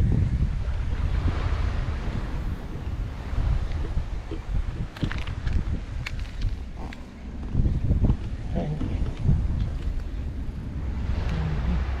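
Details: Strong wind buffeting the microphone over surf and waves near boats, with brief bits of speech and no animal sounds.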